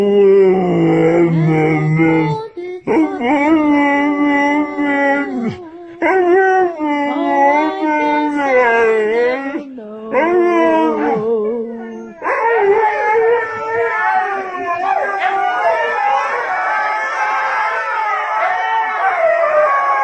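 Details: Pack of huskies howling as people sing nearby; a low human singing note opens, then drawn-out wavering howls with rising and falling yips overlap, several voices joining at once in a long chorus.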